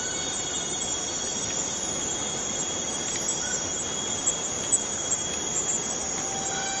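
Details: Unbroken shrill buzzing drone from a cicada in Borneo rainforest, steady in pitch and loudness throughout, with faint short whistles and soft ticks underneath.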